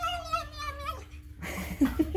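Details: Pet cat indoors, one of two adopted rescue cats, Moo and Daisy, gives a drawn-out tonal meow lasting about a second, slightly falling at the end, followed by soft rustling and a few faint thumps.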